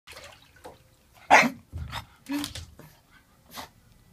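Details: A young Boston Terrier gives its first bark while wanting a bath: a few short, sharp barks, one louder yelp among softer huffs. Boston Terrier.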